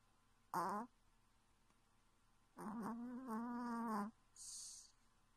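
A sleeping Chihuahua gives a brief moan, then a longer wavering, tonal whimper, followed by a breathy hiss.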